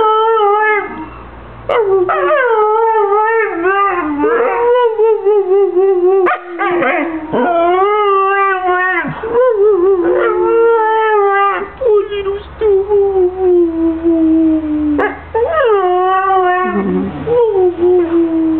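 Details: Talking husky producing a long run of modulated howls and whiny yips, pitch swooping up then down in quick varied phrases for nearly twenty seconds, continuous and loud.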